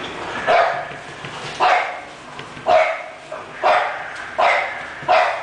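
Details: English Bulldog giving six barks at about one per second, each a short yappy burst with a tonal edge, evenly spaced, over a faint background hiss.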